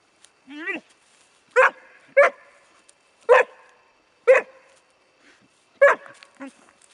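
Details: Bracco Italiano puppy, four months old, gives a thin rising whine, then single loud, sharp barks spaced about half a second to a second apart, with quiet gaps between.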